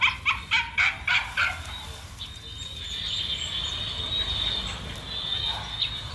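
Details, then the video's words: Male dog running and giving a quick burst of about six sharp, high barks in the first second and a half, followed by a steady high whine or buzz with faint outdoor background. "Dog running and male dog"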